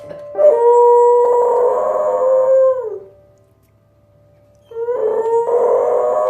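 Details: A dog singing along with piano: a long steady howl lasting over two seconds that falls at its end, a quiet pause, then a second howl begins, with a soft piano tone underneath.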